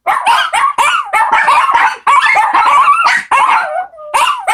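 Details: Four Shih Tzu puppies join in a howling chorus. Bent, wavering tones mix with short yips, one howl slides down and trails off near the end, and the group starts up again.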